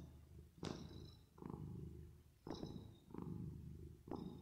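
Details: Sleeping, resting cat purring, reverb applied. Dense low rumble alternates between stronger and softer breath phases roughly every second, with sharp brief clicks marking several of the changes.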